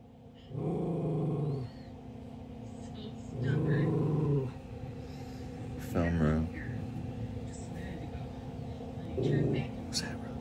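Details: A schnauzer growls at other schnauzers on TV: low, rumbling growls in short bursts, with a person speaking nearby.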